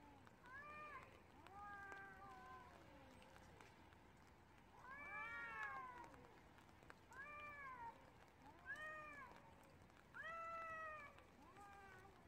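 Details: Cats fighting on the street in the rain, trading a run of loud arched yowls with strong harmonics, several overlapping and swelling in bursts, against constant rain hiss.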